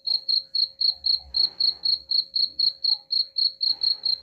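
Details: Cricket chirping, offered as a sound to drive away rats: high, clean pulses repeated steadily about four times a second, with a soft low rumble and faint scratchy noise in the background.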